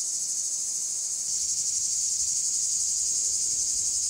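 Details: Cicadas singing in a small wood in the Alpes-de-Haute-Provence, one perched on a tree: a dense, steady, very high-pitched buzzing drone with a fine rapid pulsing texture, unbroken throughout.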